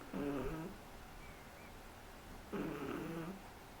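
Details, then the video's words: Three-month-old Shih Tzu puppy snoring indoors: two low, droning snores under a second long, about two and a half seconds apart, with quiet breathing between them. "SHIH TZU roncando"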